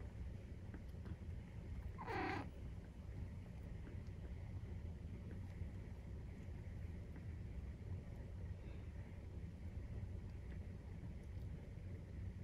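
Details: Nursing-time purr from a Maine Coon household with a 43-day-old kitten: continuous deep rumbling throughout, broken near the second mark by one short, high, falling mew-like cry.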